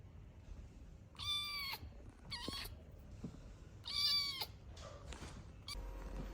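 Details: Rescued abandoned kitten that survived two days freezing in -11°C snow calls out in a series of short, high, quiet meows, several spaced about a second or more apart, with soft background rustling.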